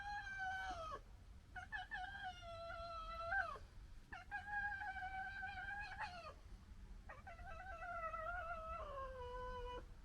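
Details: Fox cubs from a litter of three disagreeing, one giving long, level, nasal whining wails of about two seconds each, four in a row separated by brief gaps, each ending with a downward slide.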